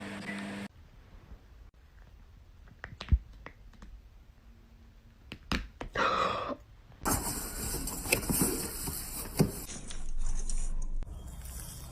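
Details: Indoor handling noises with sharp clicks and knocks, a brief rustling burst, then loud broadband hissing noise that comes in and out, with no animal voice heard.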